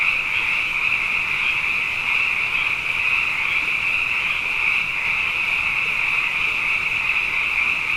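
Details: Abundant frogs calling at night after two wet years in a row, a dense, unbroken chorus of high trilling calls merging into one steady shimmering band with no pauses.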